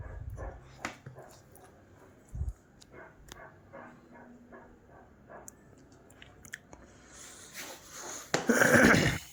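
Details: A dog being told to wait and sit quietly before it is given food; a few soft sounds, then a short, loud, harsh bark-like burst near the end, with a man speaking Bengali throughout.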